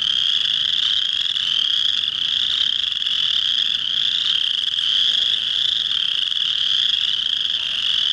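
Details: Male chorus frogs call at a pond to attract females in early March, on the first warm rainy spring days; their high trills merge into a dense, steady, buzzing drone.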